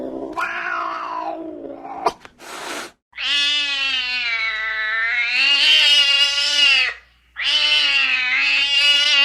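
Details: A domestic cat gives long, drawn-out, wavering meows with a rich, harmonic tone.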